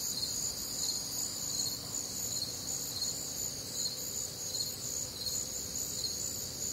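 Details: Night chorus of crickets recorded on a humid, warm summer night in the Midwest: steady shrill trilling bands with faint rhythmic pulses over a quiet background.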